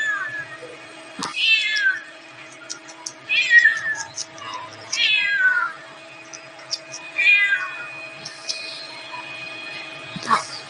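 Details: Cat meowing: four high, thin, harmonic meows that slide downward, spaced about two seconds apart, over a steady faint electrical hum with a few soft clicks.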